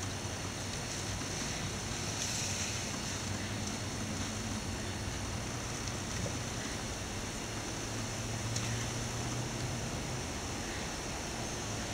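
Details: Steady broadband rumble like wind or engine noise, with no animal sound standing out. A low hum persists throughout, and no calls, buzzing or other animal sounds can be picked out.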